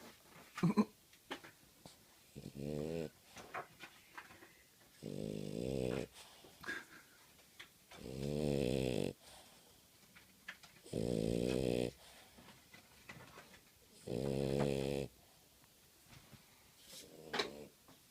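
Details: Ralph the French Bulldog snores very loudly, each drawn-out, buzzy rumble coming about every three seconds.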